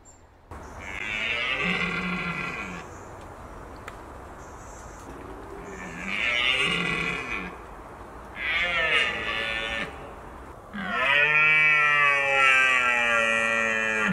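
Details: Red deer during the rut in Britain, where October brings the mating season's peak; roaring, locally called bolving. Four loud, deep harmonic roars with falling pitch, each about two seconds apart by pauses, the last longest and strongest, over steady outdoor background noise.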